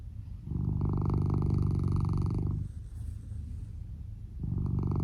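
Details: Snoring from Lou, a sleeping male red tabby and white Norwegian Forest Cat born 2015, tucked under the futon, with recording volume raised. One sustained throaty rumble of about two seconds gives way to a hush before the next begins.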